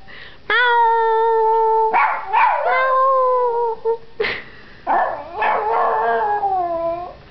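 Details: Young Yorkshire Terrier howling for the first time, set off by meowing: long, wavering, tonal howls with several rising and falling notes, broken by short yips and whimpers, close and loud indoors.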